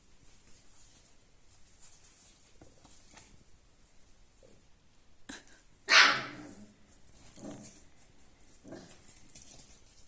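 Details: Alaskan Malamute puppies, four weeks old, from a litter of four males and two females born 25 November 2022, make faint, thin whimpers broken by one sharp, loud yelp midway, then short whining notes in the quiet.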